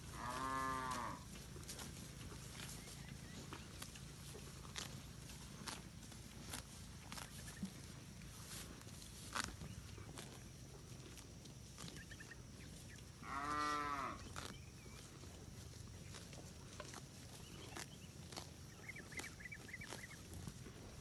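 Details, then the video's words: Village cattle, a large herd grazing and roaming freely in a green rice field, calling back and forth: two long, rich moos that rise then fall, far apart, with clicks, rustling and faint chirps in the background. "suara sapi moo"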